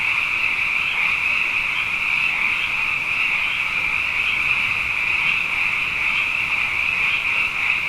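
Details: Close, loud chorus of frogs, plentiful after two wet years, heard at night: a dense ringing trill with pulsing peaks about twice a second, filling the whole stretch.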